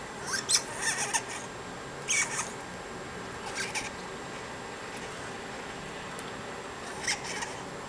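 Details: Playing fox squirrels give short bursts of raspy, scratchy chatter separated by brief pauses.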